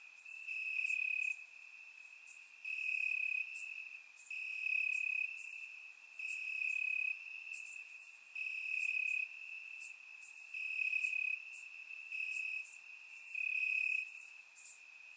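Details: In grass on a warm summer night in Bulgaria, crickets keep up a high, even trill, punctuated by louder pulsed chirp bursts recurring about every two seconds, many insects overlapping.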